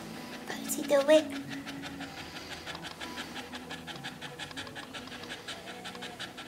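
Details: A first-time red Staffordshire Bull Terrier bitch in labour in her whelping pen pants in quick, steady, rhythmic breaths. A short human voice is heard near the start.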